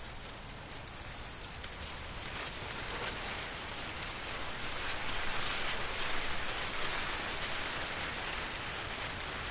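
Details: Crickets in an autumn corn field keep up an even, rapid series of high chirps and a steady shrill trill, partly masked by stronger wind gusts rustling the corn stalks.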